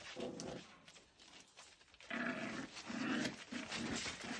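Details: Late night play between Lancashire Heeler puppies and their mother before bed: higher-pitched growling yaps in three or four bursts in the second half, after a quieter start with rustling.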